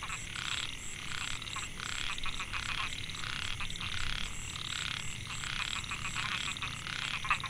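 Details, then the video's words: Chorus of male narrow-mouthed frogs (Microhyla pulchra), Mae Hia rice field, Chiang Mai, Thailand, 2014, calling for females: rapid pulsed buzzes in irregular overlapping bursts, backed by a shrill steady high tone. "Amphibian acoustic I Narrow mouthed Frog - Microhyla pulchra"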